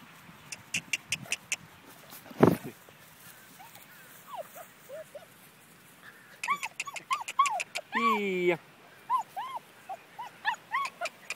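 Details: Several five-week-old German Shepherd puppies give rising-and-falling whimpers and short yips, mostly in rapid clusters, with one longer, strained whine in the middle and a sharp knock near the start.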